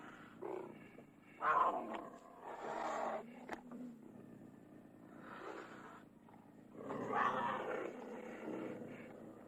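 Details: Cougar snarls and roars arriving as several separate harsh, raspy bursts, each about a second long, divided by quieter rumbling gaps and one sharp click near the middle.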